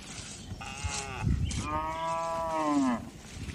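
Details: Tame cows mooing on a farm during the afternoon herding back to the barn; two drawn-out harmonic moos, the second longer and sliding downward at its end, over faint rustling background.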